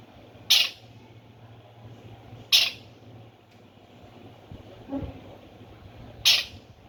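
A Himalayan squirrel gives loud, sharp chirps, spaced a few seconds apart, over a faint low hum.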